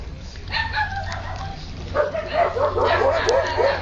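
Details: Siberian Husky puppies playing and eating: after a quieter start, a run of short, high, arched yips and whines tumbles out close together over a steady low hum.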